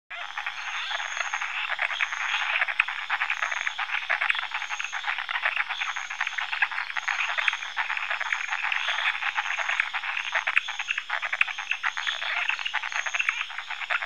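A dense chorus of frogs giving rapid, rattling mating calls that merge into a steady pulsing din.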